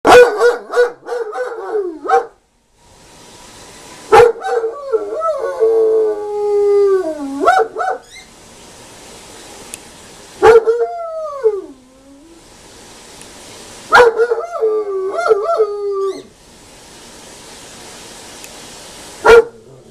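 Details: A 2-year-old German Shepherd howls at a siren outside in drawn-out, wavering bouts that slide up and down in pitch.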